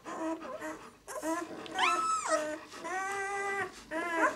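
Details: Six-day-old White German Shepherd puppies of the "of White Night" B litter whimper indoors, with long harmonic cries rising and falling, one sharp upward-sweeping squeal near the middle and several sustained whines, overlapping one another.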